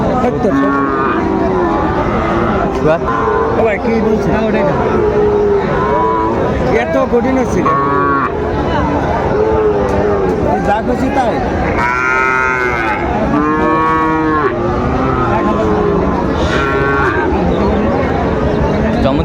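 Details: Sahiwal bull calves at Raniganj livestock market, Dinajpur, on 27 June 2024, lowing repeatedly. Several drawn-out, nasal moos overlap, the loudest pair coming in quick succession later on, over a constant hubbub of bargaining voices and crowd noise.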